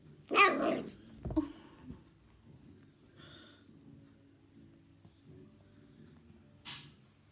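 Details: Young female whippet puppy indoors in a small room, a few weeks into life with her new owner: one short, harsh, growly bark bursts out at the start, followed by a thump, faint rustles and a brief hiss near the end.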